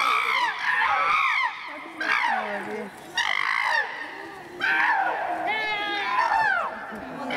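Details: Peter attacks Tommy while William runs around them, Chimpanzee Eden, Twycross Zoo; harsh screams in several loud bursts, some with stacked wavering tones, over background people's chatter.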